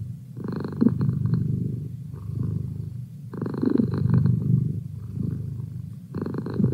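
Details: A pet cat, Merlin, gives a steady rumbling purr, its intensity rising and falling in rhythmic waves about every three seconds, close and clear against silence.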